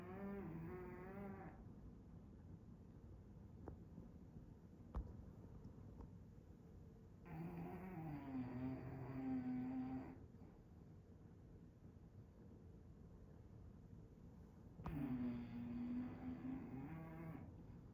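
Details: English Bulldog asleep, snoring as it rolls; drawn-out harmonic snores of two to three seconds with a wavering hum, separated by quiet breathing gaps of several seconds, plus a faint click.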